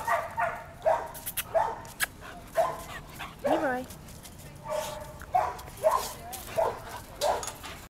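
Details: A two-year-old hound mix at an animal shelter, awaiting adoption. Short yelping barks come in quick bursts, with a rising whine near the middle, while a person talks throughout.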